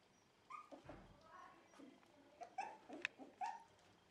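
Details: Dog indoors at a Netherlands breeder of Shiba Inu and Samoyeds, by a freshly cleaned bed: short whimpers and soft yelps, a few clipped high notes in quick succession, with a low thump and faint murmuring voices.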